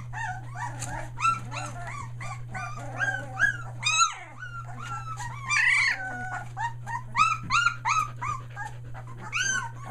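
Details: Three-week-old Australian Shepherd pups near Mooresville, NC, having just found their voices; several puppies whine and squeal together in a busy chorus of arching high notes, one longer drawn-out cry midway, over a steady hum.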